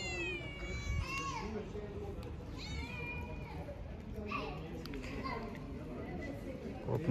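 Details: Street cats being given food meow several times, drawn-out, rising then falling harmonic cries near the start and middle, with people talking in Korean and a steady background rumble throughout.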